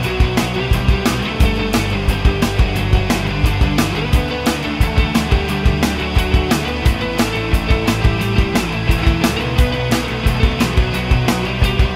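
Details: Loud rock music with driving drums and guitar plays throughout, with no animal sound.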